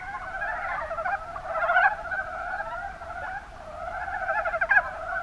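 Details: Mountain brown frogs (Rana ornativentris) from Kumamoto, Japan, in the Kuma Basin, make a continuous low, cackling chorus that swells to a louder peak near two seconds, dips, then rises again with a sharp croak near the end.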